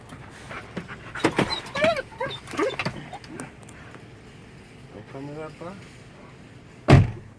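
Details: A male Belgian Malinois "talks" to his owner with wavering, whiny, yodel-like grumbles that rise and fall in short bursts.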